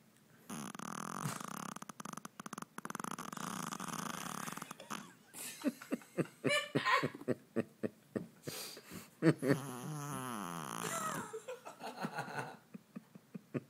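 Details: Stella, a 5 lb Shih Tzu, snores hard in her sleep after a long day with no naps: a sustained buzzy rattling snore for several seconds, then choppy snorts and snuffling wheezes, with a person's voice briefly near the end.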